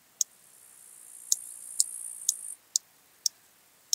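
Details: Large marsh grasshopper (Stethophyma grossum) at Elsbethen, Austria, 26 September 2021: seven sharp, dry, high ticks spaced irregularly, about half a second to a second apart, with a steady high hiss running through the first half.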